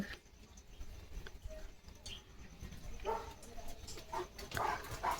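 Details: German Shepherd Leo barks from the home yard as a rainbow fades after rain: a cluster of four sharp barks in the last two seconds, over background hiss and a person speaking nearby.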